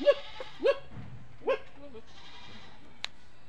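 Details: Goats on a farm; three short, wavering nasal bleats come in quick succession within the first second and a half, then quieter fainter bleating and a sharp click near the end.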